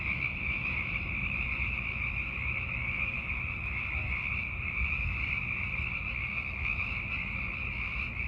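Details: Chorus of hundreds of Sierran chorus frogs calling in darkness to attract partners in late winter and early spring, a continuous high-pitched pulsing drone of overlapping calls with low background rumble throughout.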